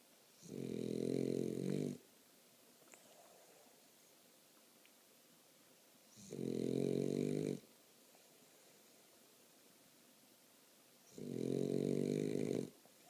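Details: Sleeping French Bulldog giving three loud, rasping snores, each lasting over a second and repeating about every five seconds, with near silence between breaths in a small indoor room.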